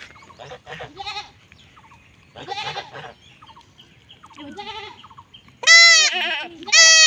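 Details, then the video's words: Young goat bleating while being castrated in a village in Bangladesh. Scattered quieter bleats early on, then two loud, harmonic, wavering cries near the end; people's voices in the background. "See How Goats Are Castrated In The Village"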